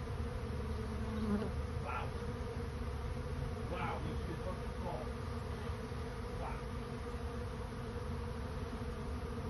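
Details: Many honey bees swarming in search of a new home, giving a thick, continuous low buzzing drone. A few short higher chirps or squeaks cut through the hum now and then.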